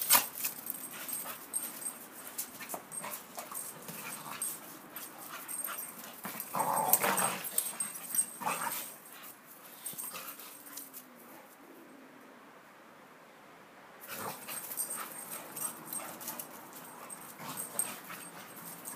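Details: Staffordshire Bull Terriers, one 19 months and one 9 months old, dance and play, giving short yips and whimpers among scuffling sounds, with one louder bark-like burst.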